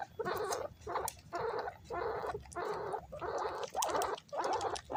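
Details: Pet guinea pigs competing for banana pieces give loud, harsh squealing bursts, about seven of them, each lasting roughly half a second, separated by brief quiet gaps.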